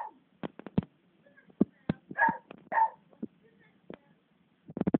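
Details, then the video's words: Beagle Bella worked up at Cassie, a 12-year-old black labrador who didn't want to play, filmed on a phone. Two short barks come mid-clip amid knocks, clicks and thumps, with faint talking underneath. "Bella goes mad"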